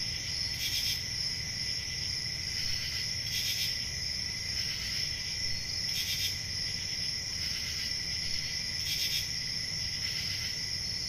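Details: Crickets on a country summer night give a constant shrill trill, joined by louder raspy chirp bursts every one and a half to two and a half seconds against soft low background noise.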